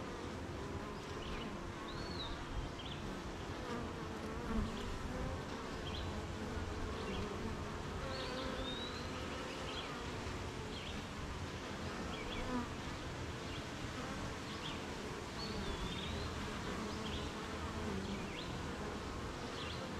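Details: Low, constant hum of a busy honey bee hive on a rainy morning, the bees making honey among surrounding gardens and fields; distant birds whistle short, rising notes at intervals over the drone.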